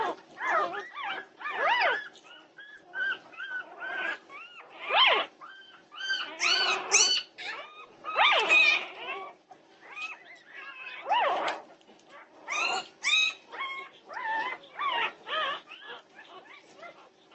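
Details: Norwegian Buhund puppies at 2:30am on June 8, 2021, in a noisy chorus of overlapping high whines and yelps. Many arched, harmonic cries rise and fall in quick bursts with short gaps between them.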